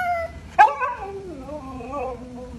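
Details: Siberian Husky kept as a pet, vocalizing as it is ordered indoors: a sharp burst followed by a wavering, gradually falling howl-like moan with rich overtones, fading out over two seconds.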